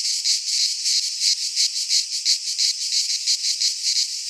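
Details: In a Greek pine forest at midsummer, cicadas keep up a shrill rasping buzz that swells and dips in even beats, about three pulses each second, with nothing else audible.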